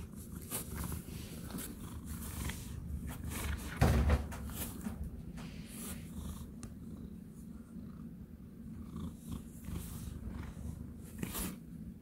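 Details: Domestic cat purring with a steady, low, rumbling drone throughout, a brief louder bump near four seconds and faint clicks and knocks in the background.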